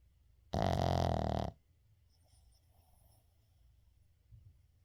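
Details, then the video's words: A sleeping Shih Tzu, Uijung, gives one loud, rough, rattling snore lasting about a second, followed by soft quiet breathing and a faint snuffle near the end; indoor recording without edits. "시츄 코골이"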